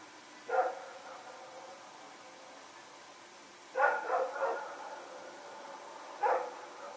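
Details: Night barking from Rex and another dog as they run about, recorded September 21, 2018: a single sharp bark, a quick burst of three after a pause, then one more bark, all somewhat distant.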